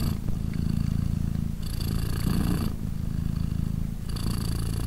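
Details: Deep, buzzing purr of Polina, a British Shorthair mother cat caring for three newborn kittens aged 3 days. The rumble runs unbroken, brightening briefly on each inhale and exhale every one to two seconds.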